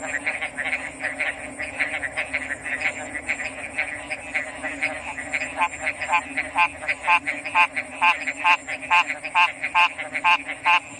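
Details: Frogs calling in a dense chorus, short rasping pulses repeated about twice a second and growing louder and more distinct toward the end, over a continuous high insect-like whine and a low steady hum.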